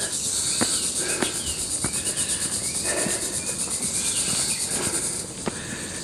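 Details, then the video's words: Cicadas in woodland along Bowen Road, Hong Kong, on a morning walk in 1991: a continuous shrill high-pitched buzz with a fine pulsing texture, overlaid by regular soft footstep clicks. "You can hear the cicada beetles here."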